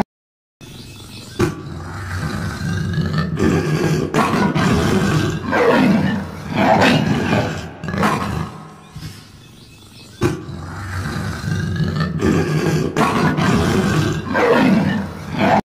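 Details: Stock green-screen recording of a lion roaring: long stretches of harsh, throaty, low rumbling roars, the sequence breaking off near the middle and then repeating much the same pattern, nothing else clearly heard.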